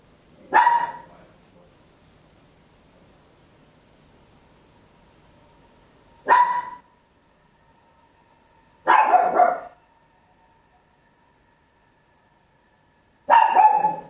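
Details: Home stereo recording of a small Papillon dog barking loudly: four short, sharp barks, the later ones doubled, separated by long quiet gaps of up to six seconds, with a faint steady tone in the background.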